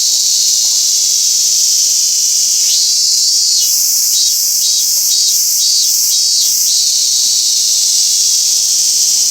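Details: At Toyanogata Park, a robust cicada gives a single bout of rhythmic pulsed notes, about four seconds long. It begins with a rising sweep and sits over constant shrill hiss from other insects.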